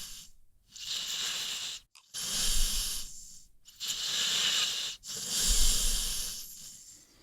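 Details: Sleeping American Pit Bull Terrier named Rocky snoring with long airy breaths that swell and fade roughly every one and a half to two seconds. A soft low grumble sits under the steady hiss, and there are no other sounds.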